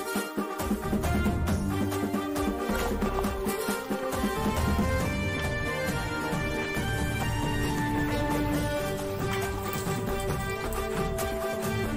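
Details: Loud, continuous instrumental music with a steady beat fills the recording, and no animal can be heard.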